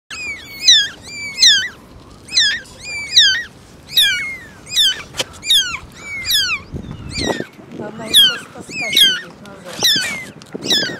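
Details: Mother cat with her four kittens; a dense chorus of high, thin kitten mews, each sliding downward in pitch, overlapping and repeating roughly every second, with a few shorter hooked squeaks in between.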